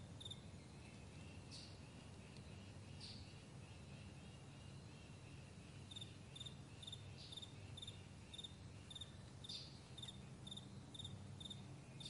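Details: Morning crickets on a vast meadow: high chirps sparse and faint at first, then a regular string of sharp pulses in the second half. Soft hissy flares and a heavier low rumble fill the background.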